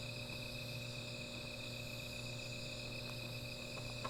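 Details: A nighttime insect chorus by a small fire: an even, sustained high ringing tone with no pauses, a deep background hum, and a few soft ticks near the end.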